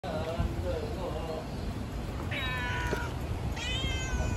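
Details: Elderly orange tabby cat kept at a gas station, near a nap, gives two drawn-out, bright meows over a steady low rumble of traffic or engines.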